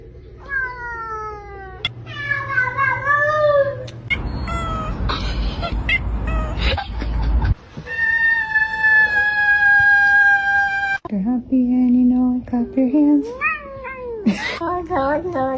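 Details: Domestic cats from a compilation of cats said to speak English: drawn-out, wavering meows that bend up and down in pitch, broken by a burst of loud music and a long steady tone.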